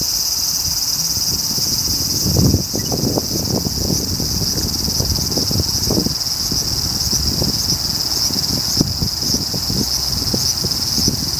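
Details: ['Large brown cicada in continuous high, hissing, sizzling song holding steady throughout, with intermittent low rumbling wind noise underneath.']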